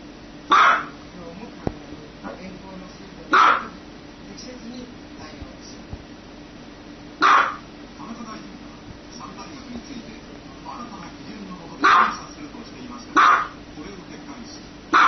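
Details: Loud single barks from a dog come every one to four seconds over a constant low background hum, with faint softer sounds between the barks.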